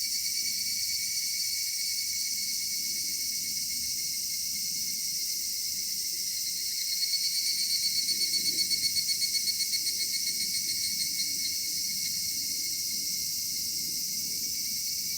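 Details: Cicadas at dusk in a summer cedar forest keep up a bright, sizzling high drone. Midway one voice swells into rapid pulsing, about four beats a second, then fades back into the steady chorus.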